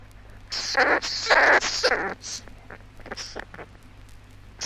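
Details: An Australian squirrel glider gives harsh, rasping bursts, three loud scratchy calls in quick succession, then a few softer short chatters, over a faint low hum; 1968 recording.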